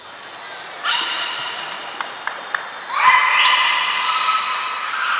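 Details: Captive beluga during a training session at Port of Nagoya Public Aquarium on 11 January 2021: a faint nasal tone, a few clicks and a thin high whistle, then a louder sustained harmonic call that drifts slightly upward.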